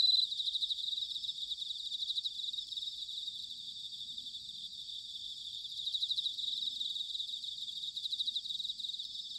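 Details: Bell crickets chirping in autumn at Sanuki, Chiba, Japan: continuous high-pitched chorus with bursts of fast pulsed trills that swell every few seconds over a steady ringing background.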